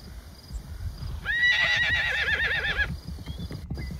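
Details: Wild horse from a herd of stallions and mares in Wyoming, USA: one loud whinny lasting about a second and a half with a quavering, wobbling pitch, over low rumbling and shuffling noise.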